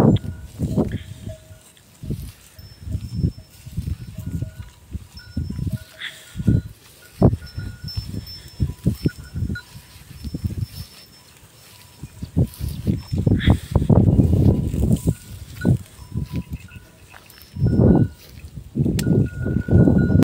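A cow in heat gives deep, drawn-out moos over a steady ringing of bells.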